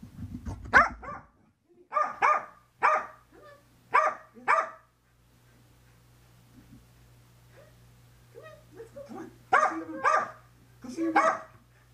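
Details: Female Corgi indoors, excited and frenzied right after a bath while someone tries to towel her off, recorded by a helmet camera on the floor: short sharp barks in quick bursts, a quieter pause, then another rapid flurry of barks.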